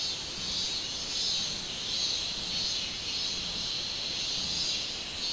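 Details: Robust cicada (minminzemi) on 24 July 2016, its high buzzing song throbbing in repeated pulses roughly one and a half per second over a steady shrill drone.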